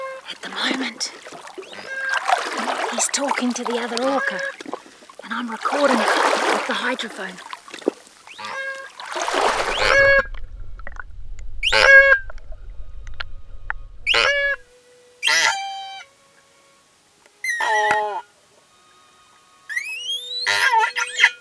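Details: Stranded orca in New Zealand, believed to be Koru, over 8 m and about 5 tons, scared and calling to its family after a researcher touches it, gives harsh, harmonic pulsed calls with sharp rising and falling sweeps.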